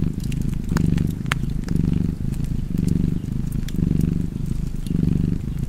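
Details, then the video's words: Cat purrs in soft, buzzing low pulses that repeat roughly every second, with loud fire crackles and pops near the start. "Purring Cat and Fireplace 4K / Wallpaper Tv Art Çerçeve / Cozy Purring Cat ASMR / Kedi Mırlaması"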